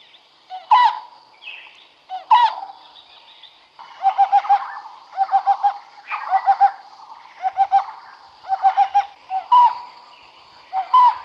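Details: Smooth-coated otters fishing in the Karnali River, Bardia National Park, Nepal: harmonic, squeaky chirps near one kilohertz. Some are single sharp notes and others come in rapid bursts of three to five, over a steady high-pitched background hum.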